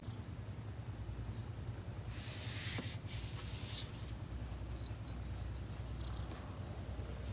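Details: A cat purrs: a continuous deep, rapid rumble throughout, interrupted around the middle by a breathy rushing noise lasting about two seconds, then steady purring again with faint light clicks.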